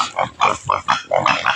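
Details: Native pig being fed taro on a rural farm, grunting in separate short, rough bursts roughly every third of a second.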